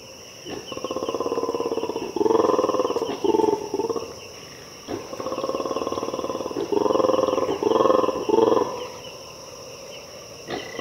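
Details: Mantled guereza, black and white colobus monkeys in an Ethiopian cloud forest, making loud rattling roars: two long pulsed bouts, each swelling into louder grating bursts, with steady high insect-like hiss behind.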